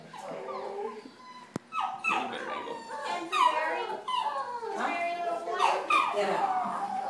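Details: Great Dane named Shadow, a four-month-old puppy, at the vet: high whines that slide downward, repeated several times a second. They start after a sharp click and are mixed with people talking.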